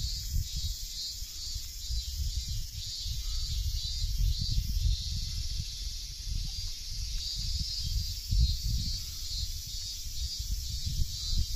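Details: Cicadas calling in trees during hot late-August weather along a nature trail at Tsuyazaki, Fukutsu, Fukuoka, Japan: a loud continuous high buzzing drone with a gentle pulsing throb, over heavy low rumble of wind.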